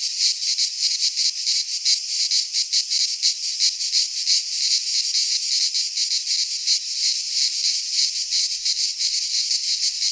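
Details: Cicadas in a pine forest in Greece during midsummer, producing a loud, sizzling, high-pitched drone that throbs in rapid regular beats, nothing else audible.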